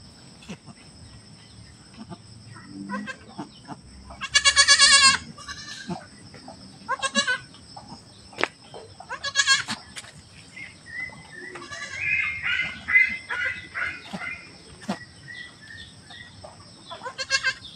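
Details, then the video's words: Domestic goat kept by a family, recorded just after giving birth as people check the newborn kid; one loud, high, quavering bleat near the middle, then softer bleats amid steady Tagalog chatter and a faint constant hum. "nanganak na alaga nmin na kambing"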